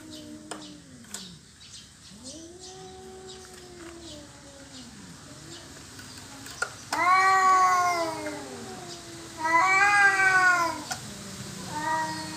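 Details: Cats squabbling over territory give low, drawn-out moaning howls for the first seven seconds, then two loud, rising-and-falling screaming yowls, ending on a shorter wail.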